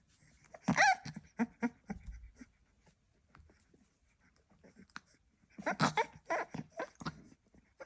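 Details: Staffordshire Bull Terrier puppy giving squeaky whines and grunting noises in two bursts separated by a few quiet seconds of soft snuffling.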